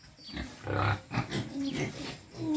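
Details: Quezon black pig, a native breed, grunting during feeding; a few low, throaty grunts close together over two seconds.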